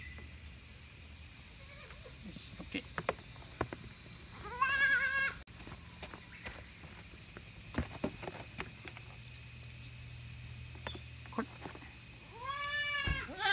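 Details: Goat kids around forty days old on a small handmade farm in Himi, Japan, in August 2018: a quavering bleat midway and another near the end, between scattered clicks and shuffling noises.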